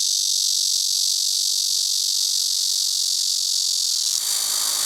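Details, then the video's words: Cryptotympana atrata cicadas singing together in a chorus, a steady, loud, high buzzing hiss with no pauses, a short rougher noise entering in the final second. "말매미의 합창"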